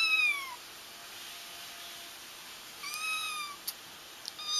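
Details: Kitten cries meant to draw a feral mother cat into a trap: two quiet, high, descending meows separated by a long pause, with a few soft clicks and a thin background hiss.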